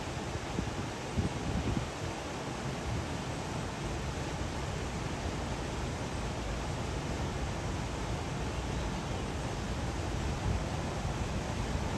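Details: Steady broadband rushing noise, like wind buffeting a microphone, with no animal calls.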